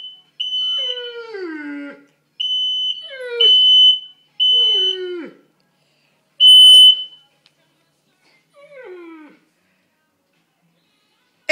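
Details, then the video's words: A Great Dane/English Mastiff mix, terrified during a fire alarm test, gives long falling whimpering howls, four drawn-out cries spaced about two seconds apart, each starting high and sliding down, with a steady beeping alarm tone sounding alongside. "Great Dane/English Mastiff scared of fire alarm"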